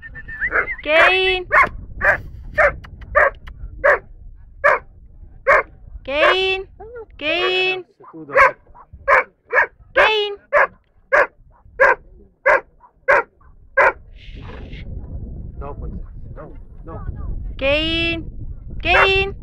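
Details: Dobermann at an A.I.A.D national gathering in Rome, Italy, on 21 March 2010, placed third in the junior class; sharp barks in quick runs mixed with higher whining yelps, a handler's voice talking alongside and crowd noise behind.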